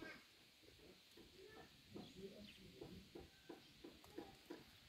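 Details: Kittens resting, giving a run of short, soft, high mews repeated several times a second in quick bursts, with faint rustling in the background.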